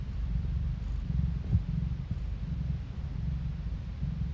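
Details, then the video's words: Close-up of a domestic cat purring into a phone: a low, vibrating rumble, fast and slightly uneven in strength, steady throughout with one small swell near the start. "고양이 골골송 asmr No talking asmr cat purring"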